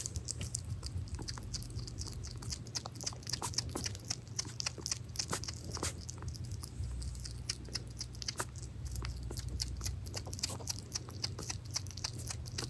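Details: A hedgehog named Pirozhok eats minced meat: a steady stream of sharp, wet clicking and smacking chews, several per second, over a low constant hum indoors.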